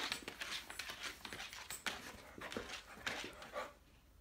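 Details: Awake Saint Bernard paddling its legs as if swimming out of water: quick, raspy, airy panting at roughly two breaths per second, with soft thumps, in a small room.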